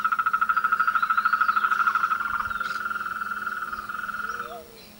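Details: A frog chorus during the mating and courtship season: one loud, fast, pulsed trill carries on for about four and a half seconds and fades at the end, while a few softer, lower, short notes sound behind it.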